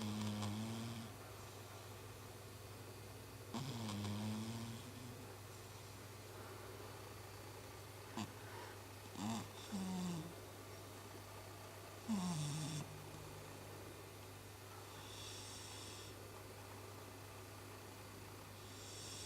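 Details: Chibi, a pet cat sleeping and snoring like a person, makes irregular snorts and rasping breaths with sliding pitch, spaced unevenly, mixed with short breathy hissing bursts, over a steady low hum.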